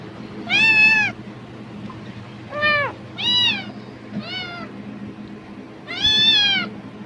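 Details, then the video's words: Hungry-sounding house cat reacting strongly to the crackle of a plastic bag, believing there is food: five separate meows, some short and falling, the last long and arching, spaced one to two seconds apart over faint hum. "비닐봉지 소리에 폭발적 반응하는 고양이 울음소리(Cat sounds in response to the sound of plastic bags)"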